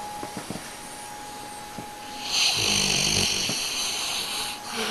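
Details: Dog snoring in a home recording: soft clicks and breaths, then a drawn-out, hissing, wheezy snore of about two seconds with a low rattling undertone, before easing off.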